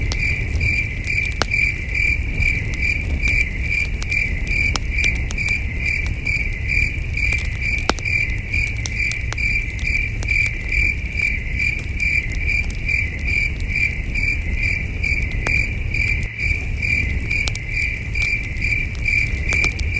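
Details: Under a night sky at a wilderness campsite, crickets keep up a long, steady series of high, pulsed chirps about two per second, while the campfire pops and crackles irregularly over a low, constant rumble.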